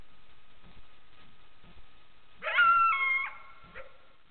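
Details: Wild coyote caught on trail camera: a brief burst of several wavering, whining yips lasting under a second, after a quiet stretch with a faint steady electronic tone and light rustling.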